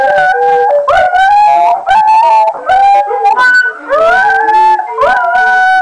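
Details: Two pet dogs, Morphy and Poppy, howl along to recorder playing: overlapping rising, sliding wails with yips between, the recorder's pure notes blending into the singing.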